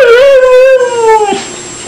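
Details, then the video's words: Pet dog "talking" in a drawn-out, howl-like voice: a loud, clear, tonal note that swells slightly, holds steady, then slowly slides downward before breaking off after about one and a half seconds, with a quiet room behind. "CANI CHE PARLANO"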